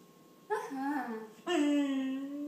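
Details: A pet German Shorthaired Pointer 'talking', asking for something in a way likened to saying 'please': two sustained, speech-like groaning tones in a small room, the second louder and held steadily to the end.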